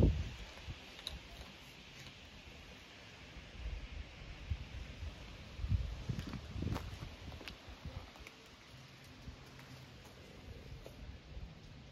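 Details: Scattered clicks and rustling over a constant fan-like hum, with no calls from any animal.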